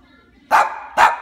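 A Cavalier King Charles Spaniel gives two sharp barks, voicing hunger and anger.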